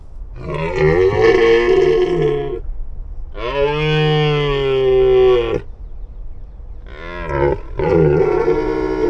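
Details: A wild red deer stag roars during the breeding (mating) season, three deep, drawn-out bellows, each lasting about two seconds.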